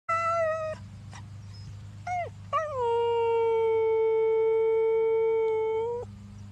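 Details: A Siberian Husky howls: a brief clear note and a couple of quick yelps, then a long, level, tuneful howl held over three seconds, ending in a slight dip as it trails off.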